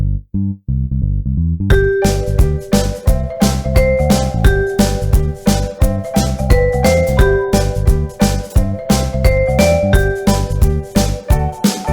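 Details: Bright chiming music-box melody over a steady plucked beat, with no animal sound heard.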